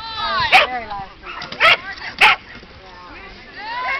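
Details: Fig the Border Collie, running an Excellent FAST agility course at Charleston, 4/26/09: three short sharp barks spaced over about two seconds, with human voices talking between them.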